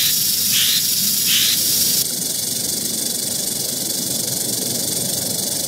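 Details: Eastern diamondback rattlesnake in Central Florida keeps up a dense, hissing rattle; two quick high chirps sound early, then the recording shifts to a slightly quieter, unbroken buzz.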